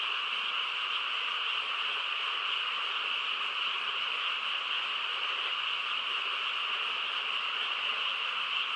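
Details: Countryside frogs chorusing at night in quiet surroundings, overlapping croaks blending into a constant high buzzing drone without breaks, perhaps with insects among them.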